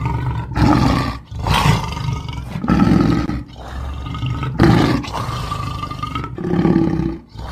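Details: Lion roaring in a children's animal-sounds compilation: deep, rasping roars with a low throaty base, repeated in bursts roughly every one to two seconds, separated by brief silent gaps.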